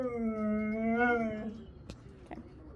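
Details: A Siberian Husky's Sunday-morning scream, a wavering, moaning howl of about one and a half seconds that rises slightly and dips, followed by quiet with a few faint clicks and knocks.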